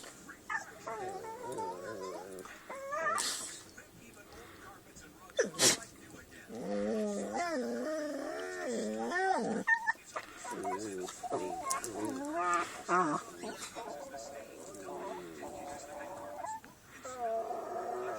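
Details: Playing dogs making funny noises: wavering, whiny yowls that slide up and down in pitch, broken by short sharp bursts, with occasional human voices in the background.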